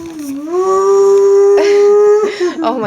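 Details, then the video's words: A Siberian husky puppy gives a low start that rises into a steady, drawn-out howl. Brief voices and noises cut across it near the end. "Husky siberian howling"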